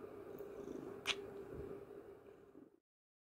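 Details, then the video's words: A domestic cat purrs with a steady, low rumbling hum during a morning snuggle, part of its usual morning routine. "Morning snuggle time with purring cat"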